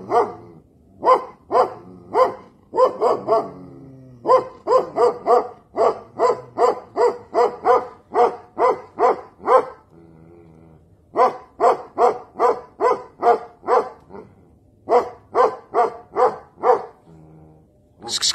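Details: Tibetan Mastiff, described as rare, letting out rapid runs of loud, resonant barks in bursts of several, with a short pause near the middle before the barking resumes just as strongly.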